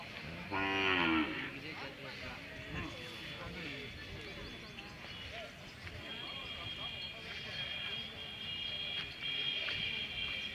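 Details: Hallikar cattle at the Magadi cattle fair 2025, Ramanagara district, India. A short, loud harmonic moo lasting under a second comes near the start, followed by steady crowd chatter and fair background noise.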